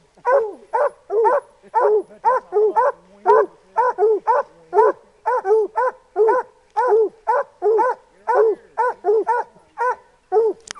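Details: Two black and tan coonhounds treeing bark in a fast, steady series of short, ringing barks.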